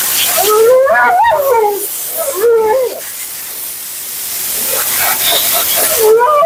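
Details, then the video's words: During her bath and blowout, a female Siberian Husky named Mila makes warbling, wavering vocal sounds in short bursts. A quieter stretch follows, then another brief cry, all over a steady hiss. "Talking Husky FURNADO Bath and Blowout"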